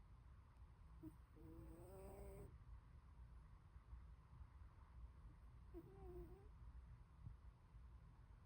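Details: Short-legged Munchkin cat Glory asleep and snoring, giving two brief whistling wheezes that climb slightly in pitch, each about a second long, over a steady low hum of room noise.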